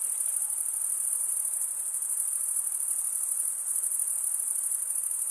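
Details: Crickets chirping together in a relentless high-pitched ringing drone, rapid pulses merging into a constant buzz-like trill, loudness flat from start to end, no other sounds standing out.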